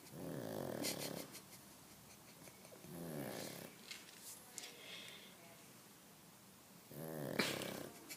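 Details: A pug snores in long rattling breaths, three loud rasping bursts spaced roughly three seconds apart, each with a fluttering buzzy texture, with quieter wheezy breathing between them.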